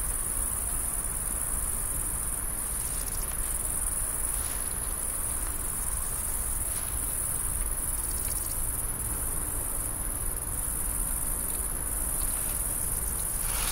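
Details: A female great green bush-cricket, filmed while laying eggs into the earth with her long ovipositor, is heard with a steady, high, sizzling buzz that runs on without a break.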